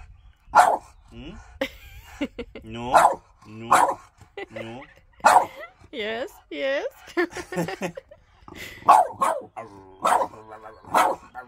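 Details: French Bulldog arguing with its owner over shoes, giving repeated drawn-out, rising-and-falling howling grumbles in short bursts, answered by a man's spoken protests and laughter between the calls.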